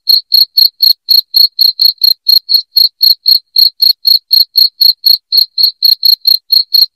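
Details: Continuous loud cricket song, used to repel rats indoors: crisp, high-pitched chirps in a fast regular beat, around four each second, with nothing else audible.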